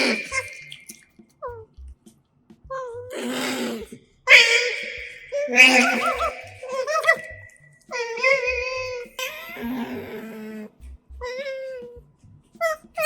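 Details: Pet otters feeding with a microphone close by: bright chirps and squeaks mixed with harsher, noisy chattering bursts and short falling calls, fairly frequent, over faint music.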